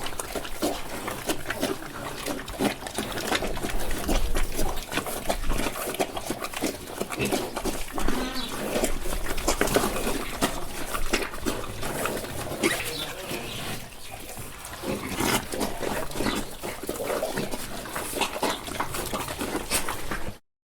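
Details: Several pigs eating on a farm, with steady wet crunching and chomping broken by low grunts and snorts.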